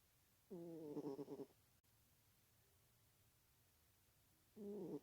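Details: Sleepy female house cat snores, a roughly one-second rasping, harmonic breath with a fluttering pulse, then near silence, then the next snore starting about four seconds later.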